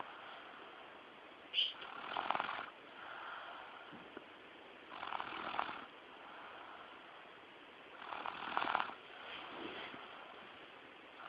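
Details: A pet dog snoring while asleep, with broad rasping breaths repeated about every three seconds, each a noisy swell that rises and fades; faint human speech is heard around the snores.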